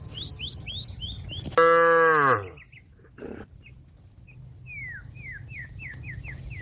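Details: Cattle calling companions back to the pen with one strong, harmonic moo under a second long that drops in pitch at its end, while small birds chirp repeatedly in quick, falling notes before and after.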